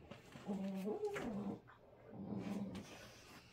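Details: American Pit Bull Terrier puppy Gohan, still with baby teeth, play-wrestles older rescue pit bull Groot, giving low, rumbling growls and snarls in two bursts.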